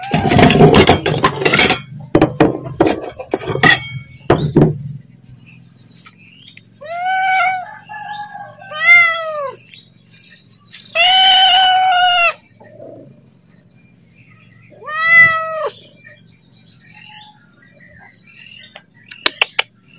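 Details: Hungry pet cat calling for its meal: a burst of clattering and bowl clinks, then several arched, wavering meows at spaced intervals, ending in faint clicks.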